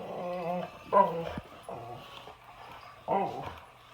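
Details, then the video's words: Boxer dog confronting an excavator makes repeated wavering, tonal whines and growly yelps in short bursts, with a low background rumble. "Boxer Dog vs. Excavator"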